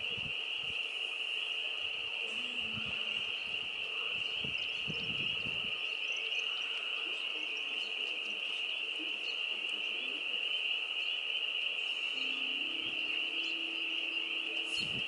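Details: Frogs mating in a homestead farm pond in spring, April 25 2022, as the weather warms: a dense, unbroken high trilling chorus holds steady throughout, with scattered low knocks and rustles beneath.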